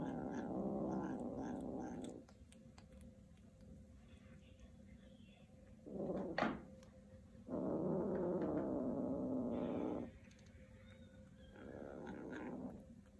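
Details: Two kittens competing over a shoelace, growling at each other in long low rumbling bursts lasting about two seconds each, with pauses and a short sharper cry in between; indoor room hum underneath.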